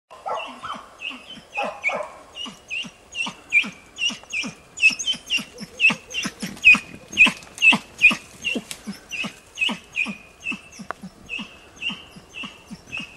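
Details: Hunting dog Tina chasing and persistently baying at young wild boar during training on 6 March 2013: rapid, ringing yelping barks repeated roughly every second, building in loudness midway, with soft low thumps underneath.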